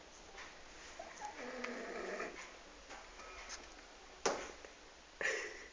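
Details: Twelve-year-old French bulldog snoring quietly while asleep indoors: soft, raspy, irregular breaths, then two sharper noisy snorts near the end.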